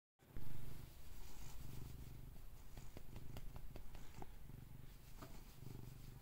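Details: Happy cat purring steadily: a low rumbling purr pulsing in rhythmic bursts throughout, with faint clicks and a few soft higher sounds over it.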